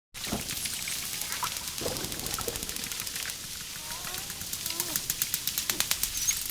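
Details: Dolphin underwater, with dense trains of sharp clicks throughout and a few faint, wavering whistles sliding up and down near the middle.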